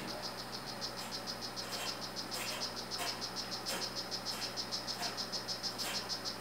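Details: Strawberry poison-dart frog, a male of the 'Rio Guarumo' morph kept by its owner, producing an unbroken series of high, insect-like chirps with a few soft clicks and taps mixed in.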